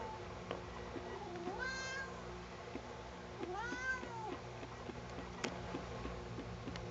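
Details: Indoors during combing, Sugar the cat protests with two arched, harmonic-rich meows about two seconds apart, the second longer and wavering, over a steady low hum and faint ticks.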